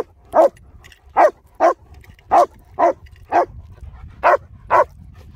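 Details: Barking from German Shepherd dogs Nico and Zeeva, Hawick, filmed during dog training and rehabilitation on a Samsung S23 Ultra: nine forceful barks in uneven bursts, some paired closely, others separated by longer pauses, with faint low rumble behind.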